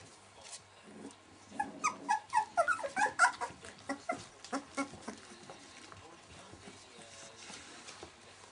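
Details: Welsh Springer puppies at 19 days old make a cluster of short, pitched whines and squeaks that grow louder mid-way, then taper into faint, scattered peeps.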